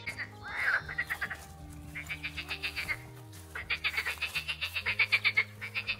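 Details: Frogs calling from a green, unkempt area beside a running track near the Danube in Solt, Hungary; rapid pulsed croaks in bursts, roughly four per second, with a steady low hum and people talking nearby.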